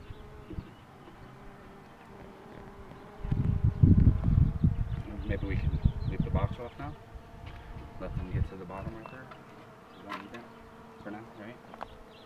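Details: Hive of honey bees while the queen box is being pulled: a continuous humming drone holding one tone, broken midway by heavy low thumping and rustling of handling noise, then settling back to the even buzz.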